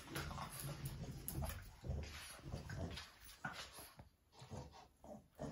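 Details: Two Boston Terriers fighting playfully with no apparent reason, a love/hate scuffle indoors; dense rough low growls and snarls pulse rapidly and almost continuously, with brief gaps and scuffling noise.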